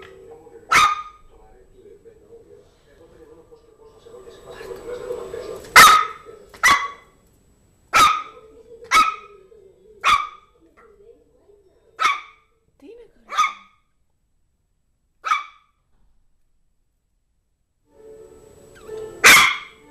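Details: Zizel, a female Yorkshire terrier, plays with her new mouse toy, letting out a run of about eleven crisp, high-pitched barks at irregular intervals, with brief quiet gaps and faint voices in the background.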